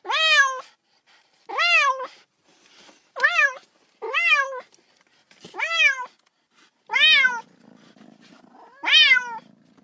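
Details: Playful little kitten wanting to play with a ball gives a steady series of seven harmonic meows, roughly one every one and a half seconds, each rising and falling; a faint low hum enters near the end.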